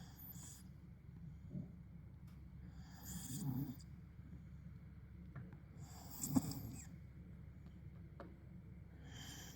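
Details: Tibetan Mastiff asleep and snoring, deep rumbling inhalations swelling roughly every three seconds with breathy hiss on each breath, steady low background hum indoors.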